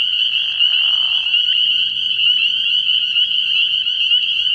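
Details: Early-year night chorus of spring peepers at a frog pond, shrill and steady throughout, opening with a short, lower, grating burst over the high peeps.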